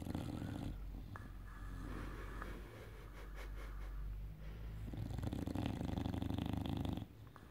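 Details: English bulldog named Enzo snoring indoors the night after a Saturday out: two deep, rumbling, rasping snore breaths, a short one at the start and a longer, louder one near the end, with quieter breathing between them.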